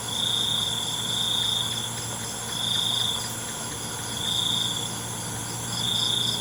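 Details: Night crickets trill in loud, high-pitched pulsing bursts, each lasting over a second and separated by short quieter gaps, with a soft continuous insect drone and a low hum beneath.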